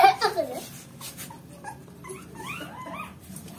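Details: Dog whimpering indoors: after a short burst of speech, thin high whines arch up and fall again in quick succession, several overlapping toward the end, with quiet talking underneath.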